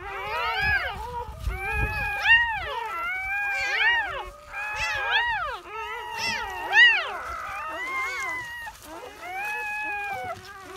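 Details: Newborn German Shepherd puppies squealing at their birth; short, sharply arched high cries come in clusters with brief pauses, one voice after another, with faint background rustling.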